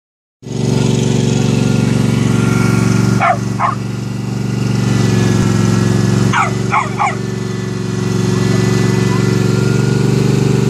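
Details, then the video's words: Ailo the dog barking at a lawn mower: two short bursts of sharp barks, five in all, standing out above the loud, steady drone of the running mower that fills the whole recording. "Ailo barking at the lawn mower."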